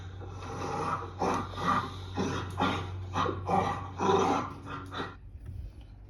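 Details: Older dog and puppy growling during play after a short breather, play behaviour rather than aggression; rough, raspy growls and scuffles come in bursts roughly every half second to a second, over a steady low hum.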